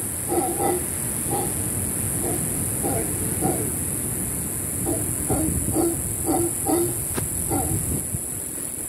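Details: Howler monkeys in the rainforest over a beach cabana on Panama's Caribbean coast give deep, rasping pulsed roars, repeated in quick bursts over a steady insect hiss.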